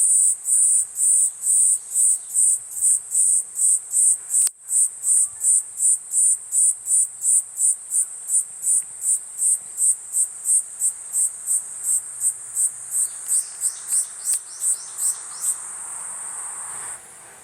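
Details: Platypleura kuroiwae cicada song in pulsed form: shrill high buzzes chopped into rapid regular bursts, nearly three per second, gradually quickening and blurring into a continuous hiss before fading at the end; one sharp click early.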